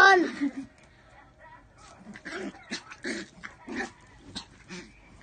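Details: Miniature pinscher giving a string of short, sharp barks spaced under a second apart after a brief high whine at the start, with faint indoor background.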